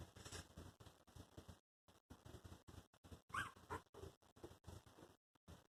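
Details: Four newborn Chihuahua puppies under two weeks old give soft, brief squeaks and whimpers among rustling and shuffling noises.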